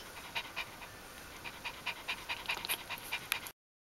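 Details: Ari the dog, late pregnancy through birth and the puppies' first four days, 1–4 October 2012: irregular breathy panting puffs for three and a half seconds, then silence.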